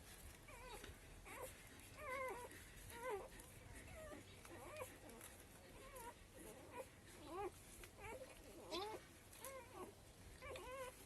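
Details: Young street dogs cry for their mother and milk, scrambling as she returns. Short warbling whines come in a steady series for eleven seconds, some overlapping, over a low rumbling background.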